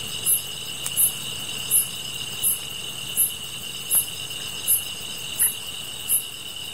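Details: Grass insects calling during a session of fire gazing: high, short chirps repeated about every 0.7 seconds over a steady, thin, high-pitched ringing drone, with a faint click or two.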